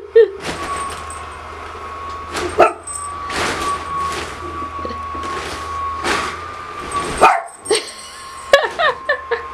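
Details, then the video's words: Pet dog, a female, barking at her owner dressed in a new Pikachu costume after being called in; sharp irregular barks spaced a second or two apart, with a steady electrical hum throughout. "Dog barking at Pikachu"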